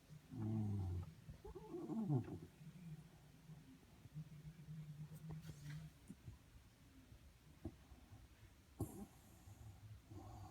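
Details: A Shiba Inu snores while asleep beneath a desk. Two soft, low, grumbling snore bursts come early, then quieter breathing and faint clicks, with a brief rustle near the end, indoors.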